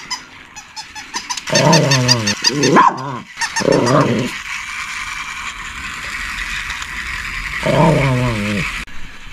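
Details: Shih Tzu barking and growling: a few short, rough, harmonic bursts low in pitch spaced a few seconds apart, with a sharper bark near the third second, over a steady background hiss.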